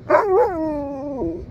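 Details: Old Siberian Husky playing outdoors beside a big river, giving one drawn-out whining howl that starts with a couple of sharp yips, slides down and wavers, about one and a half seconds long.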